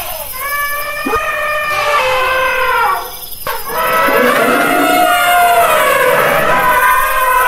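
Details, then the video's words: Elephant trumpet calls, long wavering harmonic tones that dip briefly in loudness midway, then swell into a sustained, slightly falling blare. "Elephant sound"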